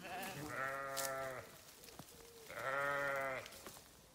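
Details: Two loud, drawn-out sheep bleats about a second each, rich and quavering, separated by a short pause containing a brief softer tone and small clicks.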